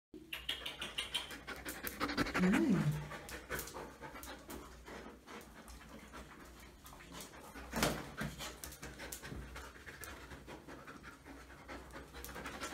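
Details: Female Siberian Husky awaiting adoption at a shelter, recorded on the morning of 7 November 2018; steady rapid panting, about three breaths a second throughout, with a brief rising whine near the start and a louder breath burst later.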